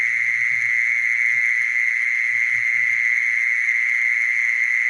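A mole cricket gives a steady, unbroken churring trill on one low, purring pitch.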